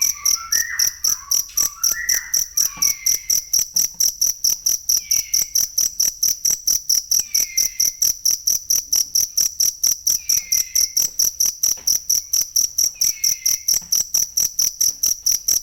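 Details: Cricket chirps meant as masteran for teaching songbirds: a fast, unbroken train of piercing high pulses. A bird's short whistled phrases open the recording, then slurred downward whistles return every few seconds.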